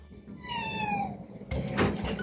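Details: A cat in a two-room home shared with three cats. It gives one drawn-out meow that slowly falls in pitch, followed by a loud thud and clatter.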